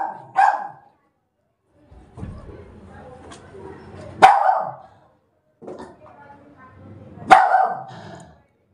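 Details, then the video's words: Pet German Spitz barking three times, about three seconds apart, each bark sharp and explosive, while a woman scolds it in Bengali between the barks. "German Spitz Dog | Barking Spitz"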